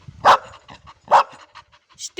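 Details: Labrador Retriever named Ruby "talking": two sharp single barks roughly a second apart, with soft rustling and brief higher clicks near the end.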